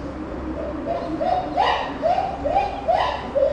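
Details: Puteri, a captive chimpanzee at Tennoji Zoo, crying out in December 2021: a run of about eight loud, tonal, harmonic cries that swell and rise in intensity over a few seconds, with a steady low hum beneath.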